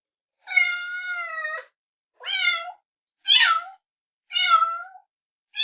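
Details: Kittens calling with a series of clear, high mews: one long steady wail first, then shorter down-sliding cries roughly every second, nothing else audible.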